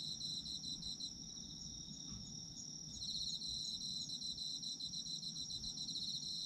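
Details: Autumn insects calling at night-style calm for sleep: an unbroken high trill, joined midway by dense rapid chirping that swells in volume, with soft low background noise.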